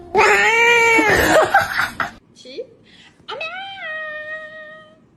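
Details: A cat gives a loud, drawn-out, quavering cry over human voices, then after a brief pause a clear single meow that rises sharply and holds a steady tone as it fades.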